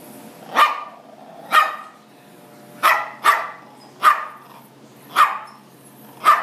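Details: Chihuahua mix dog indoors trying to get at a blue lobster in a fish tank, giving sharp, high-pitched barks about once a second, seven in a row with short quiet gaps between them.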